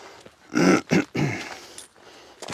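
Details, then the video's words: Arthur, a nervous German Shepherd who barks at people and lunges at other dogs, gives three deep, harsh barks in quick succession, low and rough, followed by quiet shuffling. "NERVØS SCHÆFER, GØR AF MENNESKER"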